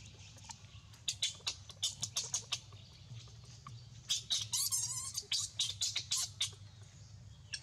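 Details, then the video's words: Baby monkey named Rainbow crying loudly: rapid bursts of sharp, high squealing cries, then a longer wavering wail near the middle, and more clustered shrill squeaks after it over a steady low background hum. "Sadness to hear poor baby monkey Rainbow cry loudly like this"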